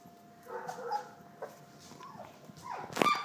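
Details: Three-week-old Collie puppies scampering around a living room give soft, thin whimpering squeaks with faint tonal whines, followed by a sharper high yelp near the end; quiet room background.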